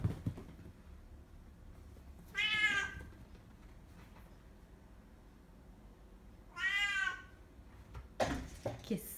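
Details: Bengal cat during an attack, giving two loud, drawn-out, wavering meows about four seconds apart, each rich in harmonics, followed by a shorter sharp cry near the end over a quiet background.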